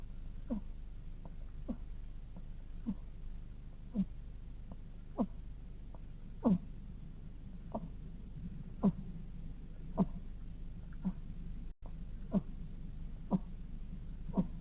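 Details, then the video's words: Sleeping hedgehog snoring: soft, short nasal snorts repeat roughly once a second in a steady sleepy rhythm over a low background hum, with one brief dropout near the end. "Sleeping hedgehog snoring"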